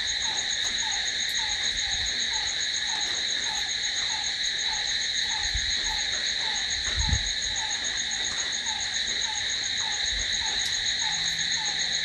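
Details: Crickets singing through the night in a constant, piercing, layered trill; beneath it a gentle falling chirp repeats regularly, with a few faint low knocks.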